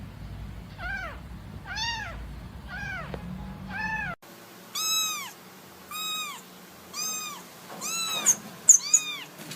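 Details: Young kittens playing and calling for their mother, eyes not yet open: a run of short, high, arched meows about one per second, first softer, then brighter and closer, with a few sharp clicks near the end.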